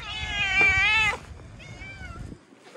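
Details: Cute cat met outdoors giving a loud, high harmonic meow lasting about a second, followed by a fainter, shorter falling meow; low background rumble and a voice speaking Turkish nearby.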